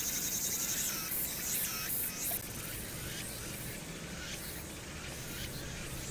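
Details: Cicadas singing on a summer night at Hwangnyeongsan, recorded 1 August 2019 against city background noise: a dense, continuous high buzzing with pulsing bursts in the first seconds, over a steady low urban hum.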